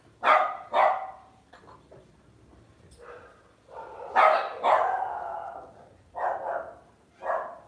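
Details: Pet Lhasa Apso barking indoors: two quick yapping barks, a quiet gap, then a run of louder barks and two final yips spaced about a second apart.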